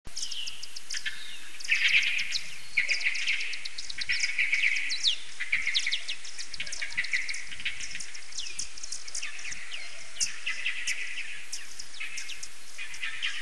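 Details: Common pipistrelles give social calls in a maternity colony, a dense stream of sharp squeaks and ticking chirps, in the Chambord hunting reserve, France, in July 2019.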